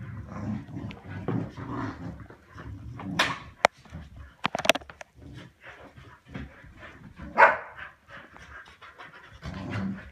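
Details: Pet Samoyeds tugging and play fighting over a soft toy cow: bursts of breathy panting come and go, broken by a few sharp bark-like yelps and scuffling noises.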